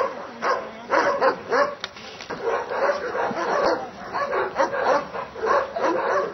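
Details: Dobermann Grey John iz Doliny Dalmenov barking in Schutzhund protection training at a Hungarian breeding test: repeated harsh barks, quieter and more spread out, over a background murmur of voices.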